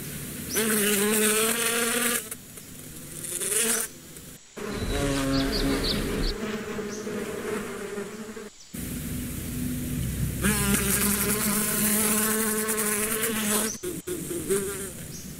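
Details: Bee buzzing in passes: loud droning hums with wavering harmonic bands, broken by short gaps and changes in pitch as the insects fly near and away; faint high bird chirps between.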